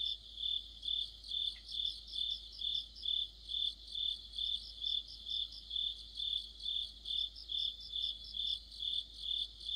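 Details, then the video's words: Cricket chorus in autumn: a rhythmic, bright chirp repeating roughly every half second, overlaid by fainter rapid insect trills, with a brief click and a quiet low hum. "가을의 한 복판 곤충들의 합창"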